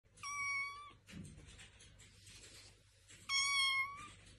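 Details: Kitten meowing indoors: two clear, high, level meows, each under a second long and about three seconds apart, with faint rustling between them.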